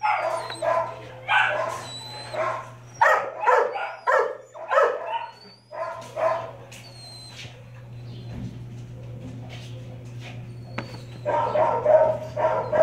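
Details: Brindle Mastiff female at the Texarkana, Arkansas shelter barking in bursts during the first seven seconds, then a quieter gap of low hum and faint noises before barking resumes near the end.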